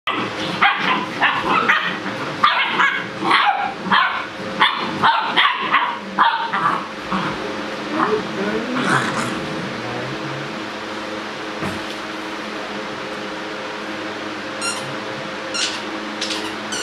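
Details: Seven-week-old fawn Great Dane puppies rough-house and play, letting out bursts of short, high yips and barks.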